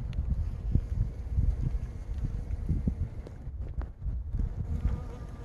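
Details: Honey bees pollinating a fully blooming plum tree hum with a low, steady drone of wingbeats that rises and fades as they pass close.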